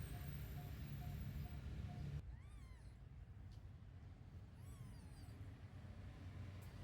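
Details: Newborn kittens sleeping together after a milk feed give two thin, rising-then-falling mews about two seconds apart, set over a steady low rumble like passing traffic.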